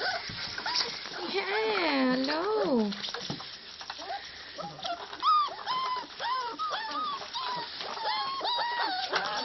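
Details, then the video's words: Five-week-old puppies playing together indoors, giving high, wavering whines and short rising yelps in quick bursts, with one long sliding whine early on; soft background noise of a small room. "Pups Danko 5 weeks old, playing 3"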